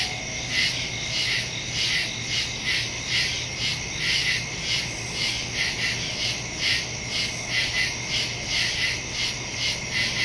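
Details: Crickets in the woods at night, recorded September 2, 2023 on a Samsung Galaxy S22 Ultra phone with a Shure MV88+ stereo microphone; a dense chorus of high chirps pulsing steadily about twice a second, with a faint low hum underneath.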